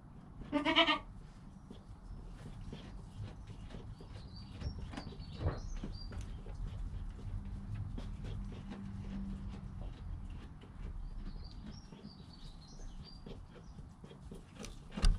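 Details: Joel, a goat kid less than an hour old, with his mother Penny, captured by GoPro: one loud, clear, harmonic bleat near the start, then small birds chirping in the background and steady low rumble.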